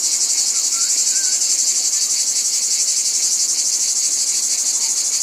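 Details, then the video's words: Cicadas in a dense, steady high-pitched buzzing chorus that pulses rapidly and evenly, with a few faint bird chirps underneath. "Cicadas | Black Screen Sounds"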